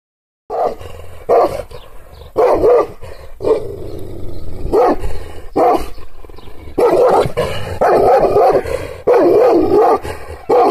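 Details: Kangal shepherd dog, provoked by hand gestures into angry barking and growling; deep, harsh barks come in irregular bursts, several overlapping and run together, with short pauses between volleys.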